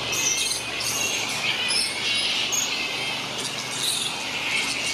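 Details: Large colony of grey-headed flying foxes, a fruit bat roost on the NSW Mid North Coast: a dense, unbroken wall of high-pitched chattering and squeaking, with short thin squeals rising above it throughout.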